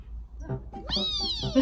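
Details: Three-month-old male Snowshoe kitten wrestling a catnip fish toy gives a clear rising-then-falling meow after soft shorter sounds, followed by a person saying "oh".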